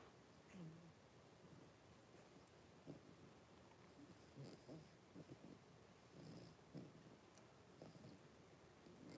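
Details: Five blenheim Cavalier King Charles Spaniel puppies, born on New Year's, with their mother Paris in an indoor puppy pen. Soft, low rumbling grunts and purr-like snuffles come in short bursts, with light clicks and faint higher noises above.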